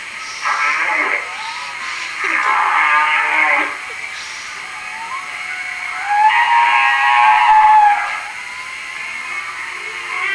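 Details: Hawaiian humpback whale song phrases, played back on 27 December 2006 in a Morro Bay, California museum lecture comparing regional song dialects. Rich harmonic moans alternate with quiet gaps, one unit sweeping downward, then a long sustained tonal moan.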